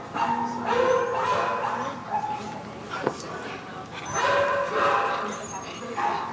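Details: Pet Siberian Huskies answer a piece of audio played on a computer with long, sliding howls. The voices rise and fall in pitch and overlap, swelling twice with a brief lull between.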